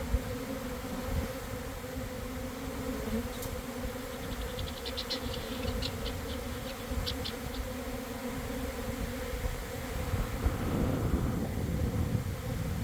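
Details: Swarm of honey bees gathering beside a garden hive in the afternoon after cold, damp weather. A thick, continuous buzz runs under a quick series of high clicks midway, with rumbling that builds toward the end.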